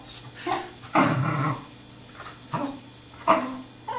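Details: Playful Pembroke Welsh Corgi Truffle, seven months old, chasing a tin can, gives a rough, drawn-out growl lasting about half a second and a few shorter gruff bursts, set against a steady background hum.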